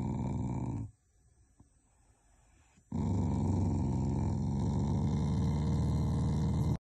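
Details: Shiba Inu dog giving an affectionate, not angry, growl during cold weather: a loud, low, rough rumbling growl, broken by a two-second quiet pause, then resuming steadily and strongly for nearly four seconds.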